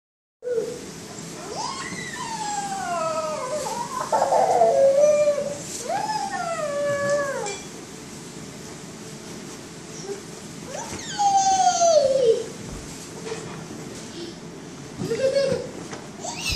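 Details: A female Miniature Schnauzer gives drawn-out, falling howls that slide down in pitch, with short pauses between them.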